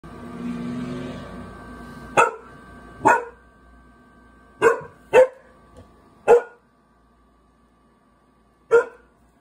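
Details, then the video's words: Seven-month-old Great Bernese dog barking indoors: six sharp single barks spread irregularly over about nine seconds, with quiet gaps between them and a faint low hum early on. "Great Bernese Barking 7 months"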